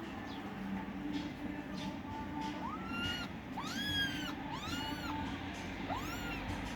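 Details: Kittens fighting for food give about five high, thin meows in the second half, each sliding up then arching down, some overlapping, over a steady low hum and background noise.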